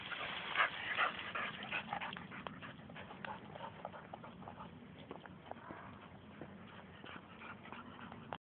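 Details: English Springer Spaniel going wild with excitement in a cornfield; sharp yelping barks burst out at the start, then fade into fainter repeated yips over rustling crops.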